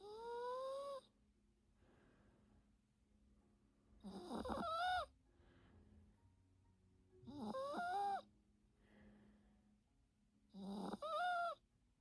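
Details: Napping Yorkshire Terrier called Teto, snoring indoors during the day: four whistling, nasal snores about every three seconds, some steady and rising, others wavering and bending in pitch, separated by near silence.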